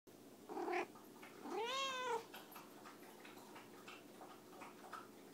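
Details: Harriet, a pet cat snatching dog treats from a pocket indoors, gives a short chirpy call then a longer arching meow that rises and falls, with rustling and faint room noise around it.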